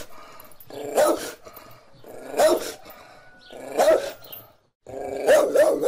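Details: Domestic dog barking in four loud, harsh bursts spaced roughly a second and a half apart, each with a rough, growly undertone and a brief quiet gap before the last bark.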